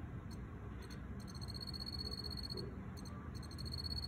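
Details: A wild-caught male Teleogryllus field cricket, possibly T. occipitalis, chirps in an earthenware jar, giving bright, clear trilled chirps in quick pulsed bursts over a low, steady rumble.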